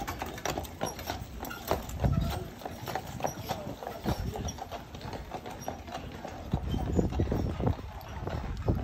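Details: Carriage horses on Mackinac Island clip-clop steadily on pavement, with people talking faintly in the background.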